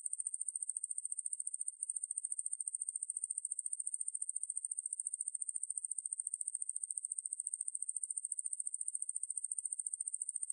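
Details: Katydid Ruspolia lineosa, 2020 recording from Korea's National Institute of Biological Resources: an unbroken, piercing high buzz made of quick regular pulses, with one brief dip in volume near two seconds, otherwise constant and free of other noise.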